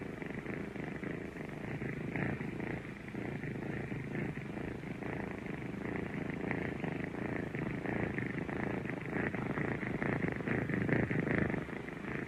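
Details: Kittens purring: a steady, low, continuous rumble with fast pulsing texture and gentle swells in strength throughout, nothing else clearly heard.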